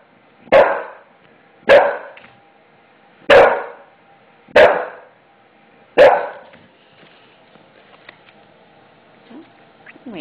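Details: Adult English Bulldog, five years old, barking repeatedly at a new floor that frightened him during its noisy installation; five sharp, evenly spaced barks roughly every second and a half, then quiet with faint household sounds.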